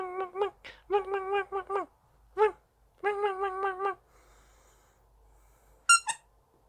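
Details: Dachshund puppy indoors, vocalising because it wants to play: bursts of wavering, tonal whine-howls in quick succession, a pause, another run of wobbling moans, then near the end two brief high squeaky yelps in a quiet room.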